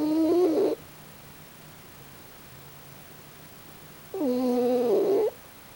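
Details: Pochi the raccoon dog asleep and snoring: two harmonic, humming snores, the second longer at over a second, separated by about three seconds of near silence in a quiet indoor setting.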